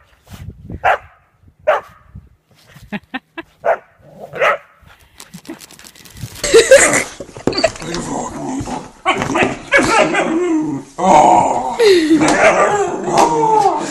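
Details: Whippet in a funny pet compilation: a few short, sharp barks or yelps at irregular intervals over the first five seconds, then a dense, noisy stretch of overlapping voices and household sounds.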